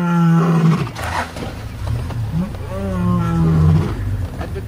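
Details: Wild lion walking by in Sabi Sand, South Africa, in 2015: deep, low, moaning vocal bursts, one drawn-out call at the start and another longer groaning call after a short pause, with rustling in the background.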